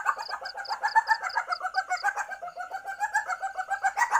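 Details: Mating call of an Asian palm civet in heat, known locally as musang or luwak, played as a lure: continuous fast clucking chatter in even pulses, several per second, with a sharp high ticking series in the first two seconds.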